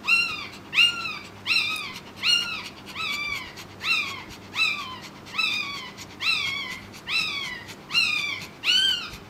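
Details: A newborn Pekingese puppy gives high, thin squeals, arching up and down, repeated steadily, while its mother is trying to deliver a second puppy.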